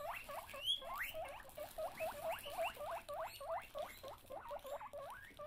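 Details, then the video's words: Guinea pigs, teased with an empty bag, squeal in rapid overlapping rising whistles, short upward-sweeping wheeks repeated several times a second over a steady background hiss. "Teasing The Guinea Pigs!"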